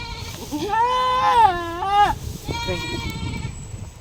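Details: Goat giving birth lets out a long, steady, strained bleat of about a second and a half that drops at the end, followed by a fainter, shorter bleat amid low rustling.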